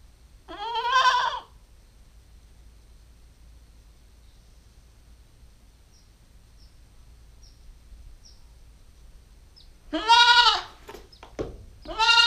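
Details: Female Nubian goat kid, nine weeks old, filmed on a GoPro stakeout: a short wavering harmonic bleat, then a long quiet pause before two more quavering bleats close together near the end, with faint high ticks between.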